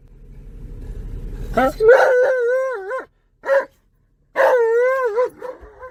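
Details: Alaskan Malamute named Tonka, riding in a car around a park, excitedly howling loudly. A low rumble at the start gives way to two wavering, bending harmonic howls, with a short yelp-like burst between them and brief silences.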